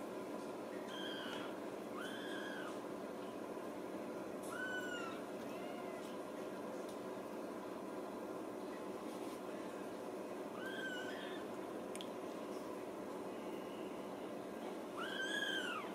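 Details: Young Ragdoll kittens at a central Kansas home cattery, raised uncaged, let out bright arching mews in small bursts, a pair early, more near the middle, and a louder rising-falling cry at the end, over constant background hum.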